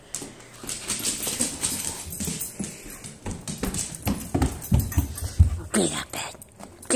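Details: Nala, a pet husky acting crazy indoors at home, grumbles and whimpers in low rough bursts throughout, with a person talking to her over the sounds.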